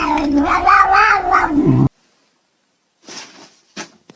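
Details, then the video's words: Kitten in a cat compilation giving a low, wavering, drawn-out caterwauling meow that lasts almost two seconds, followed by silence and a few faint scuffling sounds. "kitten meowing call"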